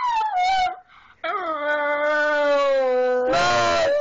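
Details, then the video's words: Miniature Schnauzer named Smokey singing at home, one sustained steady howl held about two seconds after a short wavering note, ending in a rough noisy burst. "Smokey Town the Blues Singin Dog"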